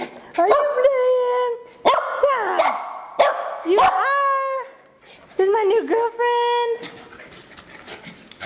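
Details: Moon and Griff, two terriers, playing; tonal whining barks and yelps with clear harmonics, some sliding downward, arrive in quick groups separated by brief silences, while a person talks to the dogs.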